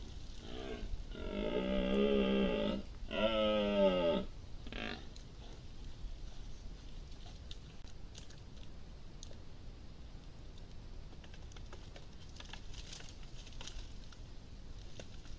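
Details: Red deer stags roaring loudly right beside a wildlife camera: three loud, deep, harmonic roars in the first five seconds, two long and one short, then quiet with scattered rustles and clicks.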